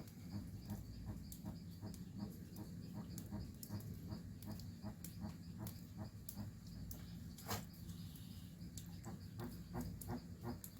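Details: Jabuti tortoise recorded in Amazon forest, Pará, Brazil, giving a long run of brief muffled clucks at about three per second with irregular spacing, above a constant low-pitched rumble and occasional sharp high clicks.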